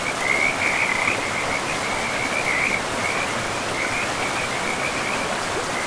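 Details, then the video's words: Frogs calling beside a river in a pristine, moss-covered forest: thin, buzzy, steady-pitched trills repeat almost continuously through the clip over a constant rush of flowing water. "River and Frogs sleep sounds"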